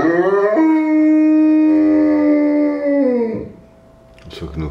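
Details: Newfoundland dog howling: one long, steady, tonal howl of about three seconds that swoops up at the start, holds level, then slides down and fades, followed by a brief rustling noise.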